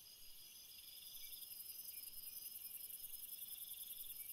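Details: Night cricket chorus, a continuous shrill ringing layered in several high bands, growing slightly louder after the first second and holding steady with a faint rapid pulsing.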